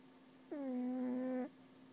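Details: Sleeping cat's snore, described as the worst ever and heard all day at work: a single steady, nasal, whistle-like tone with rich harmonics, held about one second with an even pitch, over a constant low indoor hum.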